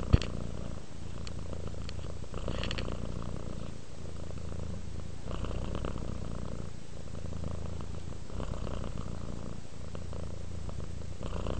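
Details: A cat relaxing and purring steadily, its low vibrating rumble rising and falling with each inhale and exhale; a small tap sounds at the start, otherwise a quiet room.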